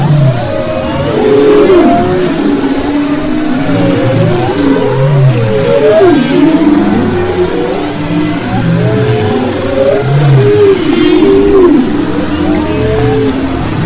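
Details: Humpback whales recorded off the west coast of Maui in February 2011: dense overlapping moans and swooping whistled upsweeps and downsweeps, layered tonal phrases repeating continuously, with a steady low rumbling background.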